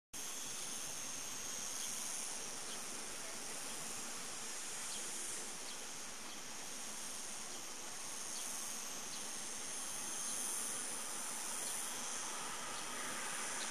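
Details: Cicadas singing on the morning of 26 August 2012 behind a petrol station at Cortijo de Marín, Almería: a steady, unbroken high-pitched hiss-like drone with bright bands up top, holding even throughout.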